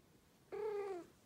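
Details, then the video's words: Persian cat, female, talking to her owner indoors: a single clear tonal meow about half a second long, steady then gently falling at the end, with rich harmonics over a quiet room. "Cat talking to her dad"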